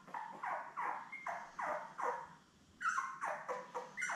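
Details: Newborn Labrador Retriever puppies, seven littermates born May 24, 2021, with their mother Belle, on a live puppy cam: a run of short falling whines and squeaks, roughly one each half second, with a brief pause midway.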